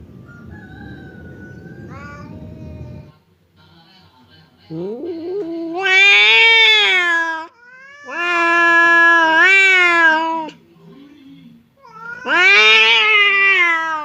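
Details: Two cats, fierce Temon and quiet Lelo, seem ready to fight but are separated by a barrier; noisy low rumble, then three loud, strained, harmonic howls roughly two seconds each, with short pauses between.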